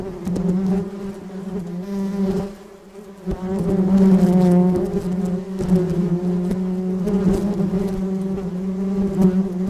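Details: Flying bee's droning buzz, steady and low with strong overtones, briefly fading away near the three-second mark before returning louder and holding on.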